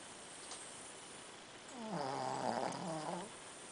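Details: Shih Tzu dog deep in sleep, snoring: a low rattling, fluttering breath swelling for about a second and a half midway, over steady background hiss.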